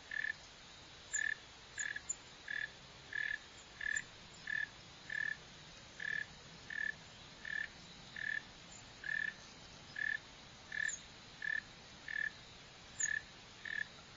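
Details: A northern mole cricket (Neocurtilla hexadactyla) gives short, buzzy chirps, each under half a second, repeated steadily about once a second.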